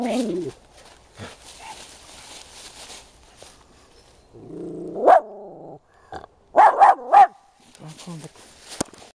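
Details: Wild boar piglets one to two days old, alone in the farrowing nest while the sow is away, give tonal, wavering squeals and quick bursts of rising, harmonic calls.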